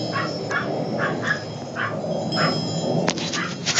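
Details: Young Maltese puppies weighing about one pound, two females and their brother, kept with their breeder: a series of short, evenly spaced high yips over soft music and a dense background murmur, ending in clicks.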